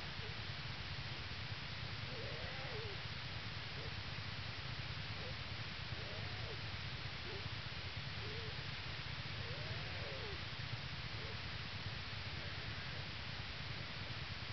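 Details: In a den at the North American Bear Center in Ely, Minnesota, yearling black bear Hope purrs on mother Lily, who shelters two newborn cubs from the cold; early morning, 22 January 2011, continuous throbbing low drone, faint wavering higher squeaks, background hiss.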